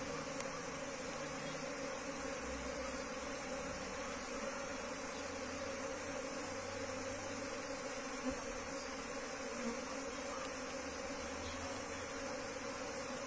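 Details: Wild Asian honey bee colony (Apis cerana) being moved into a hive box; a steady, dense low hum of many bees carries on without a break, with faint higher hiss above it.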